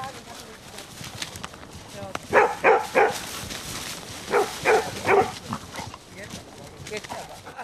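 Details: Great Dane barking: six loud, harmonic barks in two quick bursts of three, each bark short and gruff, over steady low background noise with some faint voices.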